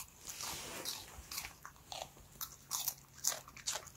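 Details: A timid female Bichon Frise named Strawberry, born March 2019, crunches a carrot snack indoors, with sharp, irregular bites and chewing clicks about twice a second over a quiet room hum.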